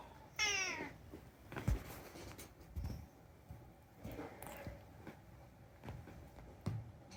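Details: Unagi, a rescued talking cat, indoors in a small room, gives one bright harmonic meow that rises then falls, followed by softer chirps and murmurs while a person calls the cat over in Japanese.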